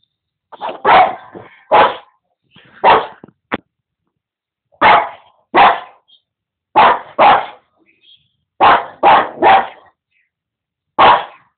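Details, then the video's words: Prince, a Boston Terrier, barking at other animals on TV: sharp loud barks, single and in quick pairs or triplets, about a dozen over eleven seconds with short pauses between bursts, in an otherwise quiet room. "Boston terrier Prince barking at tv"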